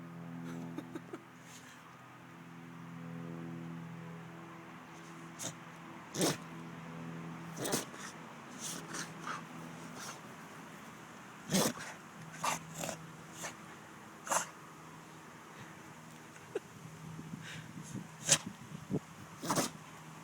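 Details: Lola, a pet dog, in a sneeze fit after catching a skink: sharp, short, explosive bursts coming irregularly, some eighteen across twenty seconds, several close together in quick runs, over a steady low hum.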